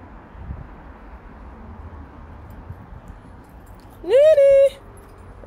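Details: Pet domestic cat, one of a pair named Nene and Lion, recorded on Sunday 14 July 2024: after a few quiet seconds, a single clear meow that rises, then holds steady for about half a second before stopping.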